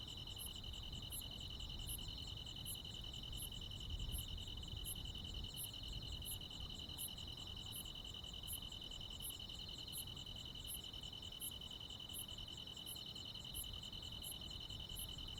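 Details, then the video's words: Countryside summer night with crickets and other insects calling together. A continuous buzzy pulsed trill holds steady while thin, high chirps recur about every 0.8 seconds. A faint low rumble runs throughout. "시골 야간 귀뚜라미, 벌레 소리"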